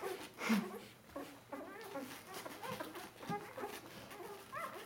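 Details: Bernese Mountain Dog puppies, four days old, crowding together to nurse, giving short squeaky whimpers with rising and falling tones indoors, mixed with soft snuffling and a loud burst near the start.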